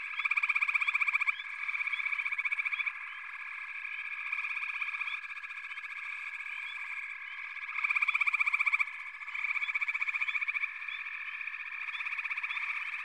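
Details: Chorusing frogs: a constant high trilling bed, with a louder, rapidly pulsed trill bursting in for about a second at a time, several times, amid scattered short rising chirps.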